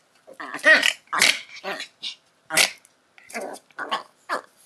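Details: Two Schipperkes fighting; snarls and barks come in short, harsh bursts.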